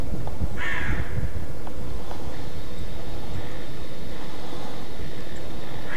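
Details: Roe deer alarm barking (Schrecken) in Mecklenburg-Vorpommern, Germany: one harsh, hoarse bark near the start, then fainter, more distant bark-like notes later, over a steady low background rumble.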